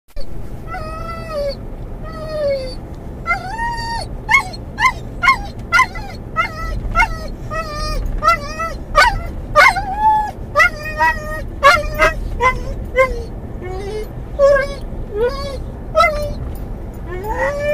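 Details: Mungle, a muzzled Doberman/collie cross riding in a car, calls for his lost toy, his Moromom, as they near where he thinks it is: rapid high whines and yips, some rising then falling, over steady engine rumble.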